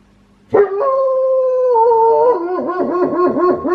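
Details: A wolfdog kept as a pet at home gives a strangely quirky howl: a steady, harmonic-rich tone held just over a second, then dipping slightly before breaking into a wavering, yodel-like warble that rises and falls repeatedly.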